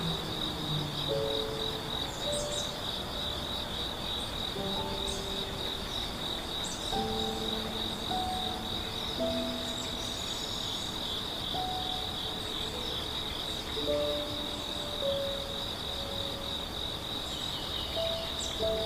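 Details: Morning forest at A Hundred Years Valley in Yeongwol, Korea, where grass insects keep up a continuous shrill, even trill. Brief clear whistled bird notes come and go at irregular intervals.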